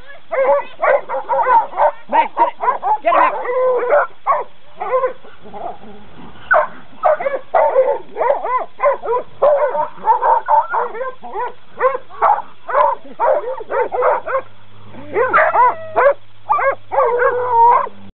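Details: Coonhounds being trained, barking almost without pause: rapid, ringing barks stacked closely together, with brief gaps and a low steady hum appearing toward the end.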